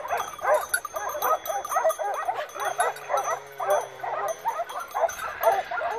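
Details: Many Segugio Maremmano scent hounds in full cry on a wild boar hunt, Rieti province, Italy, November 2017; rapid overlapping barks and bays pulse in bursts, while a faint low hum sits beneath for a couple of seconds.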